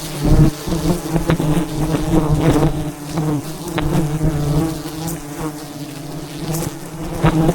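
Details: A mass of wild bees drones around a huge hive being cut for honey high in the mountains, their even, low buzzing constant beneath occasional thumps and taps.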